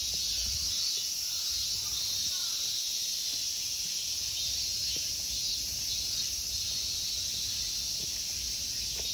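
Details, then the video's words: Loud, even, high-pitched droning from summer insects dominates the temple park of Honmonji in Ikegami, Tokyo, Japan, with a few thin faint chirps and low ambient noise. "Summer insect sounds."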